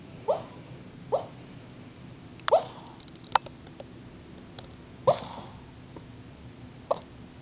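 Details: Puppy dreaming in its sleep gives short, squeaky whimpers that rise in pitch, about five of them spaced one to two seconds apart, with faint clicks in between against a quiet indoor background.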